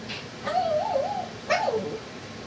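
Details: Pet dog crying as people leave, scared of the noise from a fan: two wavering whining whimpers, the first longer and bending up and down, the second short and falling, over a low steady hum.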